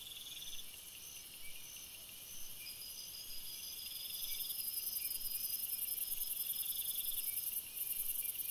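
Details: Crickets at night in a forest, several high trilling voices in short repeated bursts, with a very shrill continuous buzz growing louder through the second half.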